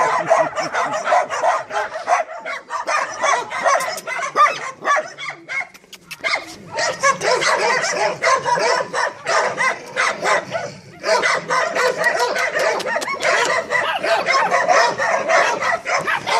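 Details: Several Staffordshire Terriers bark and yip excitedly in fast, overlapping bursts, with a short lull midway before the loud barking resumes.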